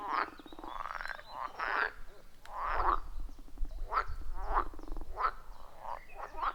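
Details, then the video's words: Forest pond frogs calling, recorded with iPhone 14 Pro and Shure MV88+; repeated short harsh croaks about every half second to second, with low rumbling background noise. "30 Minutes of Frog Sounds at a Forest Pond"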